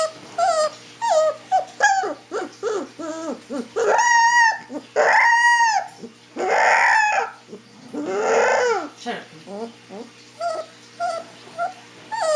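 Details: A Siberian Husky puppy howling for the first time gives wavering, rising howls and whimpers in short bursts, with a person speaking now and then.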